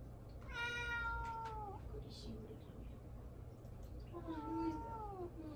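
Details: Pet cat meowing to win attention while its owner deliberately ignores it: two long, drawn-out meows about a second each, falling slightly at the end, with a soft human voice speaking between them.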